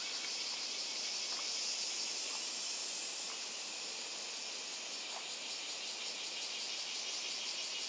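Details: A steady, high sizzling insect chorus recorded on Miyako Island has a pulsing upper band that steps up in pitch partway through. Brief faint chirps and ticks are scattered beneath it.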